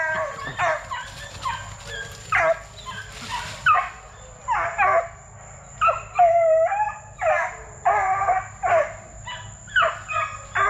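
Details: Kennel-raised Plott Tan puppies, Plott hound mixed with black and tan coonhound, aged 8 weeks to 5 months. Bursts of high yelping barks come roughly every second, some with falling whiny tails, over a faint steady electrical whine.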